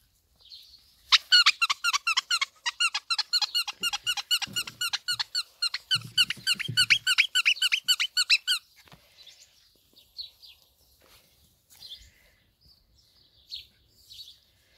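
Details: Labrador Retriever puppies from a litter of seven, filmed up close: a fast burst of high, harmonic squeaks repeated several times a second for about seven seconds, then soft scattered rustles and faint movement sounds.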